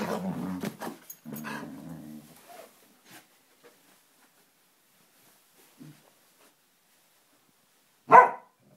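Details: Samoyed and Siberian Husky play-fighting in a friendly way: low growls fill the first two seconds, then near silence with faint movement, ending in one loud sharp bark.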